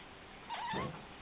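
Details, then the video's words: A male house cat answers his owner with a meow; a short, wavering mew under half a second long, with a low rumble of background noise. "My talking cat"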